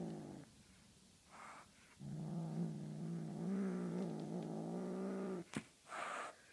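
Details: Playing with a feathery flying toy, the Tonkinese cat Honey Butter gives a faint opening growl, then a sustained harmonic rumble lasting over three seconds, cut off by a sharp click and soft rustling.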